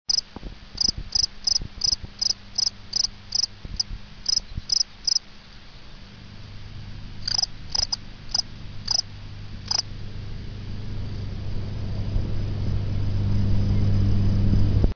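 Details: A field cricket (Gryllus campestris) sings near its burrow to attract females, its high, shrill chirps repeating about three times a second.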